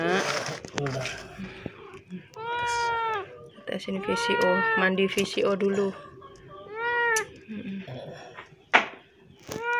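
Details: Sick, hungry and thirsty cat with severe scabies, crying after coming to a house for help: several drawn-out, arching meows, each about a second long, separated by short pauses, with human speech in between.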